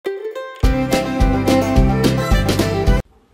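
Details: Bright plucked-string music, like a mandolin or banjo, with a steady strummed rhythm and low bass notes, opening with a quiet tone and ending abruptly in near silence.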